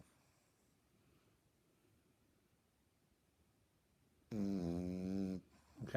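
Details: Lloyd, an 18-week-old French Bulldog puppy, snoring indoors: after several seconds of near silence comes one loud, rasping, buzzy snore lasting about a second with a rich stack of tones, then a brief noise at the end.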